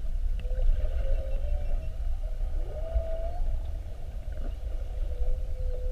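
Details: Underwater calls from whales spy-hopping around a boat during a classic mugging on a 7:30 whale watch, February 2019: mid-pitched moans, one swooping upward then levelling into a sustained tone, another flat and steady near the end, over heavy low rumble.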